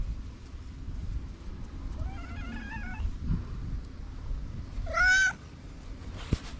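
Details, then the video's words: An orange cat waking from a nap with a lot of yawning. Faint, wavering chirpy calls come early, then one short, bright, clear meow near the end, over a steady low background rumble. "The cute orange cat woke up from his nap with a lot of yawning."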